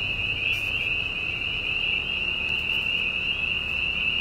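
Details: At night on a dairy farm in Silver Lake Township, Susquehanna County, Pennsylvania, near a gas drilling rig with cows nearby, a dense spring peeper chorus merges into a steady, high-pitched ringing drone.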